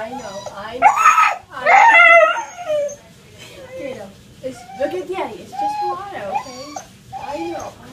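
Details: Husky throwing a tantrum at bath time, letting out loud wavering howls and yowls that rise and fall in pitch, several drawn-out cries over a few seconds, with a man speaking softly and reassuringly in between.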